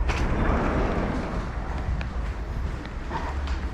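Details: Steady loud rumble of vehicle traffic outdoors, with faint speech-like sounds in the background.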